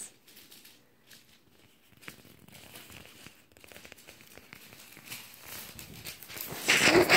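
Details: Crinkling, tearing rustles of handled material grow gradually louder and end in a burst of noise, with no clear animal voice heard.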